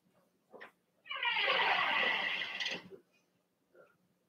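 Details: Overnight indoors on 8/27, three Cavalier King Charles Spaniel puppies born 06/09/2022, Ruby and Blenheim coats: a brief yip, then one long harmonic-rich cry lasting about two seconds, steady then fading, with a faint squeak afterward.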